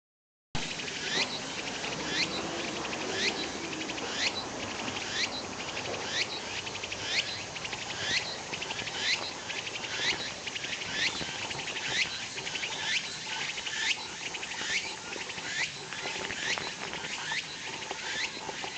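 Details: Walker's cicada calling: rapid, buzzy, high phrases repeated about once a second in a steady chorus, with car noise from a nearby parking lot as a low rumble underneath.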